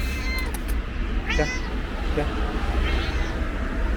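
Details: Stray orange and white cat at a bus station gives two wavering, plaintive meows about a second and a half apart, partly buried under engine hum, traffic and human talk.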